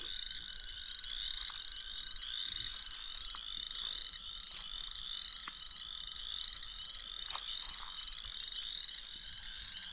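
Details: Chorus frogs in an old sand pit pond give rasping, trilled calls like a fingernail run across comb teeth, repeated through a dense chorus with spring peepers and toads. Recorded on a warm spring evening around 7:20 pm, 15 April 2023, at about 27–28 degrees.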